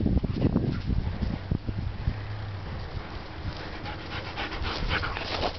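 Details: Gunner Blue, a pet dog just under one year old, pants during a game of fetch: quick rhythmic breaths about three to four per second, loud at first and then softer, over low rumbling handling noise.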